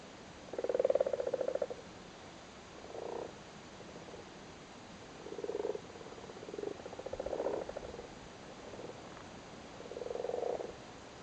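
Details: Irish frogs in a flooded cattle grid in Cork, sitting on spawn during the spawning season: soft low purring croaks in scattered bursts, some short, some longer, from a few frogs.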